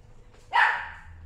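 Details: Single short, sharp yap from a cream female Chihuahua at a pet shop, born May 2018, followed by a brief loud knock at the end.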